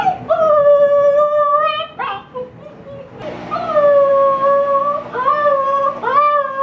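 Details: Female Siberian Husky puppy shut inside alone and upset, howling for the first time: a series of sustained, slightly wavering howls, each breaking upward at the start, separated by brief yelps and whimpers.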